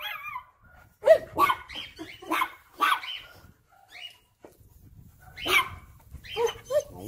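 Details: German Shepherd dog excitedly barking while bothering its puppies: a busy mix of quick overlapping barks and higher yips and squeaks, several dogs seemingly active together, with a low rumbling noise underneath in places.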